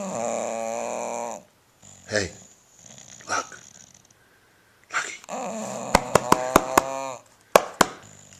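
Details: Sleeping 10-year-old bulldog Lucky gives a loud, rough droning snore, then quieter snuffles and a second long snore. A person urges him to wake up, and sharp taps or clicks are heard near the end.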